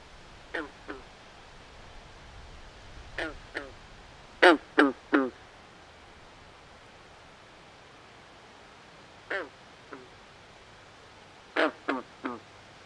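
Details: Chorus of nocturnal swamp frogs: clusters of two to four brief, nasal, duck-like croaks, the loudest run around four and a half seconds, with steady low night ambience between.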